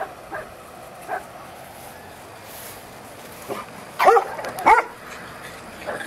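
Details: Elmo, a pug puppy on a farm, given to biting fingers: a quiet stretch, then two sharp, high yips about half a second apart, with faint softer yelps scattered earlier.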